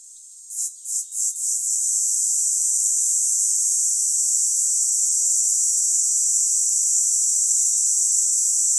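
A cicada gives a few quick pulsing buzzes, then settles into a steady, high, shrill drone.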